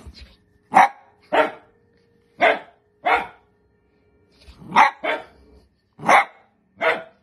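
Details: Pet dachshund barking in a home: eight short, harsh yaps spaced roughly a second apart, some paired closely, with a steady faint hum in the background.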